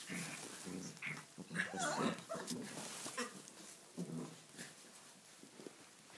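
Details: Tibetan Mastiff puppies, six weeks old, romp wildly in a stable on their first time there, kept in from the wet outdoors; gruff low growls and yaps tumble out in uneven clusters about twice a second, amid rustling and bumping.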